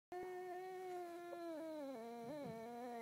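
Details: A fawn female Boxer puppy gives a long, wavering howl that slowly drops in pitch, breaking into small yodels.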